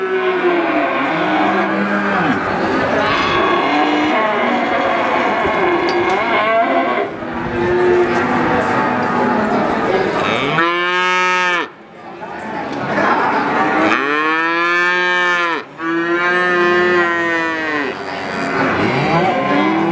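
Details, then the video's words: Overlapping calf moos at first, then three loud, clear arched bawls in the second half, each about a second long, with softer lowing continuing between them. "SUARA ANAK SAPI LUCU"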